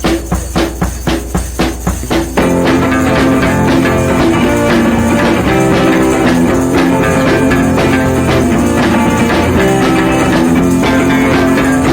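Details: Loud band music with guitar and drums opens with sharp repeated hits, then continues as a steady rhythmic track without any animal voice.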